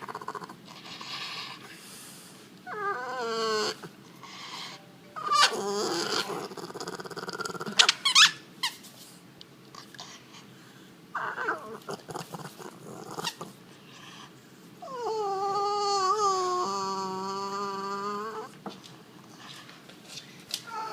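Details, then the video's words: French Bulldog making weird noises: squeaky harmonic whines and snuffling grunts in irregular bursts, ending in a long wavering whine, with a person talking softly nearby. "French bulldog weird noises"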